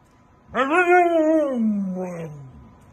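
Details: A single scream-like howl from a Siberian Husky throwing a fit at not going out: it starts abruptly, wavers at a high pitch, then slowly sinks lower over two seconds before trailing off.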